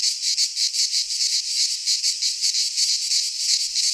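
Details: Cicadas in song amid Greek pine woods in midsummer, a loud sizzling buzz throbbing roughly three times a second, the pulses clearly separated against a continuous high hiss.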